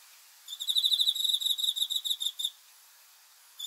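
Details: A cricket at night gives one two-second burst of fast, high, pulsing chirps, followed by quiet and the start of the next burst at the very end.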